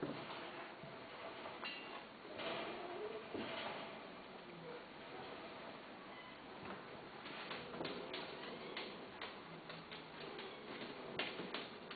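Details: Indoor clicks, taps and faint speech are heard against room noise, with no animal calls.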